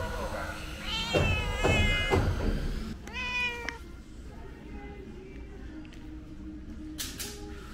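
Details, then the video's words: Calico cat begging for snacks, meowing repeatedly: several harmonic meows around one to two seconds, a clear rising-falling meow near three seconds, then quieter background with rustling and a short sharp sound near the end. "Calico cat keeps meowing for snacks | 三花貓喵喵叫著要點心"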